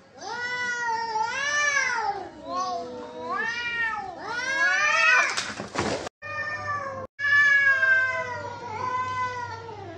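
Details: Fighting cats trade wavering, moaning yowls that bend up and down, with a harsh noisy burst like a hiss or scuffle midway, then two short breaks before the drawn-out wailing resumes loudly.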